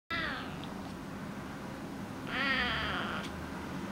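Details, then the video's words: A 12-week-old male Oriental Shorthair kitten "talking" gives two strained, nasal meows, the second longer and wavering. "Talking Oriental Shorthair kitten (Massimo)"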